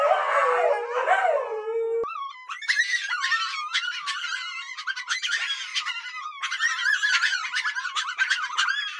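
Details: A Siberian Husky, one of three 'talking' pet huskies, gives a wavering, yodel-like 'talking' howl, then higher whining notes, over background music, amid a scolding for misbehaving.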